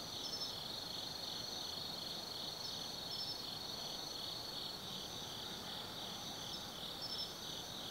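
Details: Autumn insects calling at night in Tsukimi no Mori forest, Kaizu, Gifu, Japan, from a lookout 180 m above the Nobi Plain; a steady shrill trilling chorus with pulsed higher chirps repeating every second or so over a low background hum.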